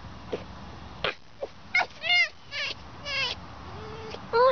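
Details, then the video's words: Fox giving short, squeaky dolphin-like calls: a series of brief chirps and wavering whines that rise and fall, separated by pauses, with a louder whine at the end. "A fox that looks like a dog, acts like a cat, and sounds like a dolphin"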